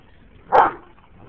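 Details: One dog from a group of an Anatolian Shepherd, a Great Dane and a Boxer at play-wrestling, giving a single short, fairly deep bark, then quiet.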